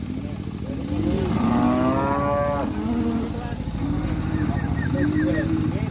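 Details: Huge cattle just arrived and coming off a truck, a group from Kediri: a long, loud moo that bends upward, then further lowing, with engine rumble and a man speaking.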